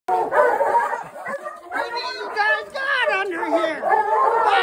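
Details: On 25 January 2022 in Leadore, Idaho, USA, a pack of hounds bays in loud, overlapping, wavering cries while holding a mountain lion at bay under a bridge.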